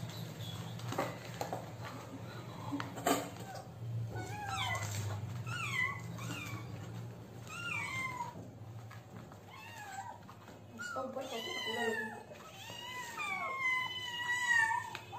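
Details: Kittens crying for food because they are hungry, several voices overlapping in rapid, bending high meows, some rising then dropping, growing busier toward the end, with low background rumble and a few knocks.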